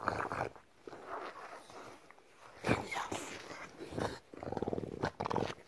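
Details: Bulldog having its belly rubbed indoors, giving low grumbling growls broken by pauses, then a longer, steadier throaty moan near the end, with a person's voice close by.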